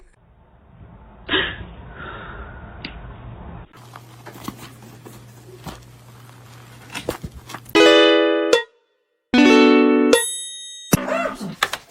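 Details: Room noise, a low hum and bumps, followed by loud bursts of plucked ukulele-like music.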